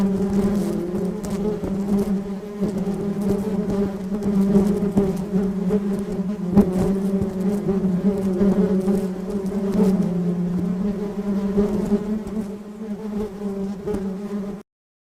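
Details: A dense, steady hum of many wild western honey bees buzzing together in a house, low and droning throughout.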